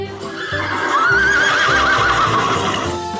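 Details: Dog barking: six short, sharp woofs in uneven pairs and singles over about three seconds, backed by light background music with a steady low beat.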